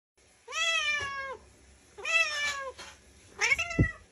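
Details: Domestic cat meowing three times, each meow a drawn-out harmonic-rich cry that rises then falls, spaced about a second and a half apart, the last one shorter and ending with a soft thump, in a quiet room.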